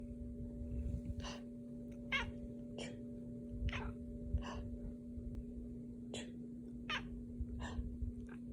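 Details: Pet cat chirping back at fake human sneezes, a sound it dislikes. About ten brief bursts come less than a second apart, mixed with sneezing noises, over a steady electrical hum.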